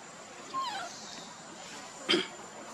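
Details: Monkey heard while Luna runs very fast carrying Luno and Rainbow tries to take Luno from her: one short, sliding, downward whistled cry with faint overtones, followed by a sharp broadband crack, over a steady hiss.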